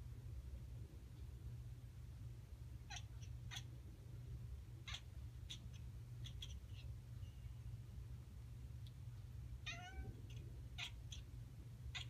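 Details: Pet cat, female, watching birds while making short chattering calls that sound like barking; brief broadband bursts scattered through twelve seconds, a few with quick rising-falling chirps, over a steady low indoor hum.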